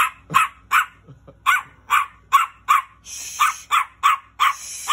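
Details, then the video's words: Small angry dog yapping in a rapid, uneven run of sharp high barks, about a dozen in five seconds, with a brief soft growl-like sound near the start and a hiss of background noise in the latter half. "Angry little dog barking"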